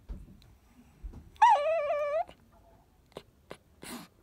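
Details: Kohaku, a Chihuahua, gives a drawn-out, wavering, talking-like whine in a cute voice, asking for its ball to be fetched.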